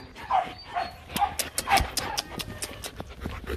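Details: Rottweilers Nina and Nano, two young kennel-bred dogs at Rottweiler Gervi, at play. Short whimpering tones alternate with sharp breathy puffs and rustling.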